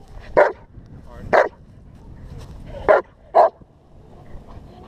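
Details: German Shepherd during protection work, giving four loud, deep single barks spaced about a second apart in two pairs, over a background of low rumbling noise and faint movement.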